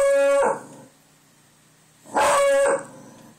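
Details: Pet dog Buster howls at the door, set off by wind he heard outside; two short, loud harmonic howls about two seconds apart, falling at their ends, with quiet between.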